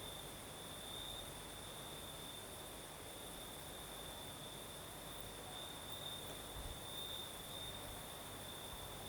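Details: Night chorus of crickets in southern Crimea during a night breeze, a continuous high-pitched trill with faint brighter pulses, set against steady windy hiss and a soft low rumble.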